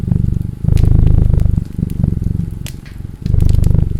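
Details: Rumbling cat purr rising and falling in three swells over a few seconds, accompanied by sizzling, popping fireplace crackles.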